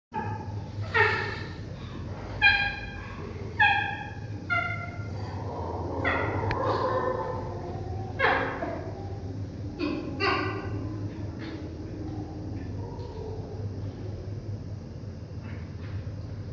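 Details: A chimpanzee at Tama Zoo eating a tomato gives a series of short, rather high, rough food grunts, some rising to a brief tonal note, a call given on finding or eating favourite food; low hum underneath.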